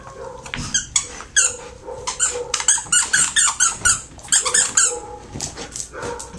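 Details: Terrier and Pit Bull mix dog in a shelter, stressed after losing its owner, indoors in a small room: quick, loud rhythmic panting, sharp breathy pulses about two per second, with a soft low squeaky note under some breaths.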